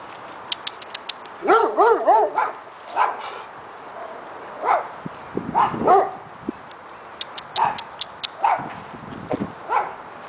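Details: Several dogs barking: rapid clusters of harsh, overlapping barks in bursts, some yelping and higher, mixed with brief clicks and pauses between volleys.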